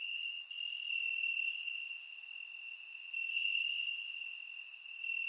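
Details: Crickets chirping in grass on a warm summer night in Bulgaria, recorded with a surround microphone: a steady high continuous trill with softer, higher chirps from other insects scattered over it.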